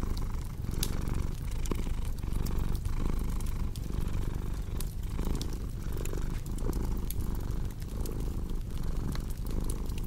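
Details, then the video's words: Domestic cat purring steadily, a deep rumbling pulse swelling and easing roughly once a second, set against the sharp snaps and pops of a crackling fireplace. "Purring Cat with Cozy Crackling Fireplace Sound"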